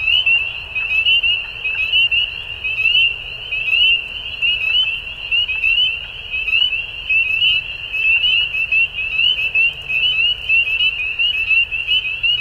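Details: At dusk, a mass of frogs keeps up an unbroken high-pitched chorus of short rising notes, pulsing unevenly in loudness over a soft low background hum.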